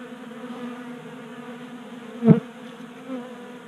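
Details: Honey bees active in a Colorado garage in January on an unusually warm day, feasting at a 3D printed bee feeder; a steady droning hum broken by one sharp tap or close buzz pass midway.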